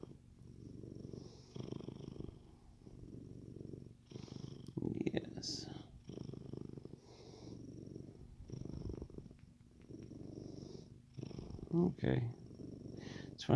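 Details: A happy male Siamese cat purrs steadily in a deep, rumbling, motor-like drone while being petted and showing his belly, with a person talking softly nearby.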